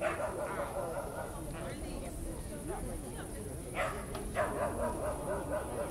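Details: Dog barking in a crowded park on a summer-like evening at Starokyivska Hill, Kyiv: a few short, harsh barks break through a dense murmur of people talking, with a steady high insect hiss from crickets.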